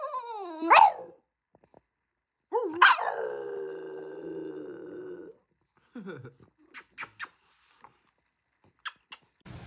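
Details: Indoor French Bulldog letting out a sharp rising yelp, then a bark that slides into a drawn-out, falling howl, followed by scattered soft clicks and rustling.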